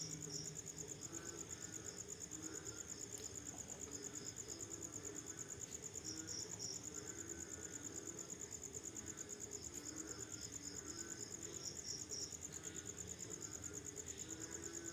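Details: Night chorus of crickets after rainfall: continuous rapid, evenly pulsed high chirping, joined now and then by brief bursts from a second, slightly lower cricket, over a soft low-frequency hum.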